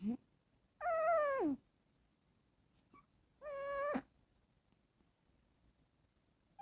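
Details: Sleeping, dreaming female house cat snores: two long, voiced, nasal tones with bright harmonics, the first sagging downward at its end, spaced about three seconds apart amid near silence.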